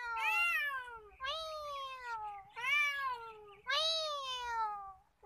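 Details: Chatty male cat roaming freely at Nigeen Lake, Srinagar, Kashmir, producing four loud, bright meows in quick succession, each arching up then sliding down, almost without gaps.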